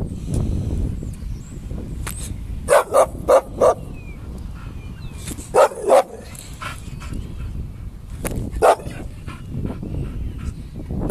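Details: Two Bull Terriers fighting; short sharp barks come in a quick burst of four near the third second, a pair near the sixth, and one more near the ninth, over steady low scuffling and rumbling noise.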